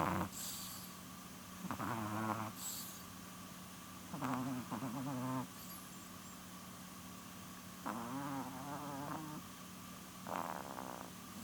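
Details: Sleeping female chihuahua close to twelve years old snoring: quiet, irregular rasping breaths spaced a few seconds apart, some with a faint whistling edge, against a constant low hum and room noise.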